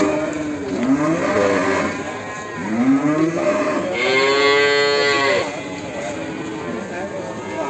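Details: Cattle at Ambarketawang, Sleman, giving a long, drawn-out moo near the end, preceded by shorter rising, sliding lows, amid a crowd's chatter and background noise.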